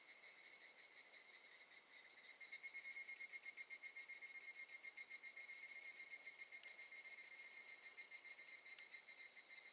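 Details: Recorded in August 2018 at Gakujin no Mori campground in Tokushima, Japan, evening cicadas sing in a continuous ringing trill of fast, regular pulses, growing louder after the first few seconds, then holding steady.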